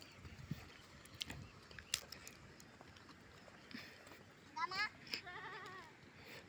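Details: Domestic goat being herded by a river in the Philippine countryside; a quavering, wavering bleat rises near the end after quieter rustling and brief human voices in the background.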